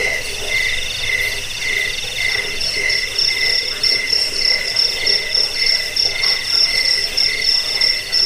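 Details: Cricket sound used against rats, as a sleep aid and for teaching cage birds; rhythmic high chirps on two tones repeat quickly, growing stronger and more pulsed in the second half.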